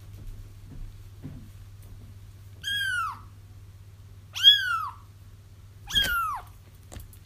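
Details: Kittens calling out, used as a lure for trapping a feral mother cat: three harmonic-rich mews, the last sharper and louder, spaced about one and a half seconds apart, with soft taps and a steady low hum.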